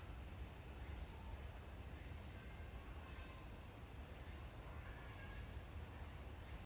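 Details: Cicadas singing at Meiji Jingu on 17 September 2018: a dense, continuous high-pitched shrilling drone, pulsing slightly in the opening seconds, then holding steady throughout with no other clear sounds.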